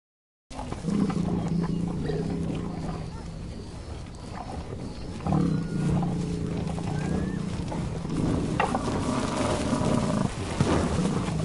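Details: American bison giving deep, drawn-out rumbling bellows. A long low roar runs for about three seconds, a second starts after a short break, and a rougher continuous rumble carries on to the end with little other sound.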